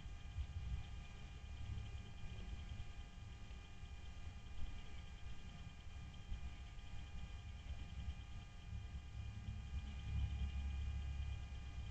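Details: Only a low steady rumble and faint electrical hum are heard, with no animal calls.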